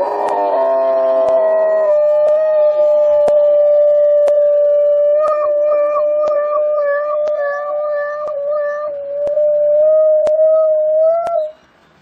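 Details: A dog howls in one long, sustained, steady tone that wavers slightly near the end, with faint regular clicks throughout and a few layered tones at the start.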